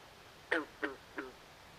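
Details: Frogs calling at night in a swamp: three short, hoarse, quacking croaks about a third of a second apart, each with a falling tail, over a quiet, steady background hiss.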